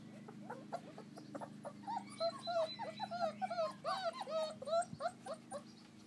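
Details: Young American Akita pups at play in a garden enclosure outdoors; soft scattered yips at first, then a denser chorus of quavering, sliding whimpers and squeals from more than one puppy, with a faint steady hum behind.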